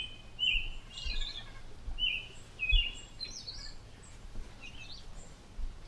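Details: Chipmunk family puzzled by droning airplane noise; sharp high chirps in short clusters, about six bursts over six seconds, each a quick rising-falling note with faint echoes, above a steady low rumble.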